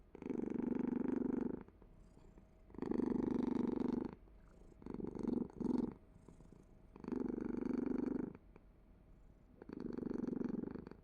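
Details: Domestic cat purring indoors in five loud, rough, pulsing bursts of about one to one and a half seconds, separated by quieter breathing gaps, giving a steady in-and-out rhythm.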